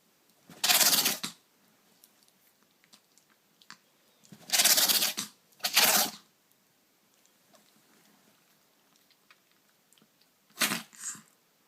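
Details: Pet Chihuahua sneezing indoors, later checked by a vet and found fine: four sharp, breathy bursts, two close together midway and one alone near the end, with a quiet small room between them.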